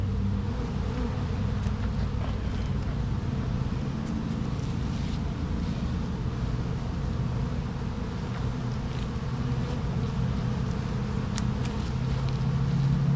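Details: Bees in a hive opened for inspection, comb and a sugar-water feeder exposed; a dense, steady low drone fills the whole stretch, with light crackles and handling knocks over the hum.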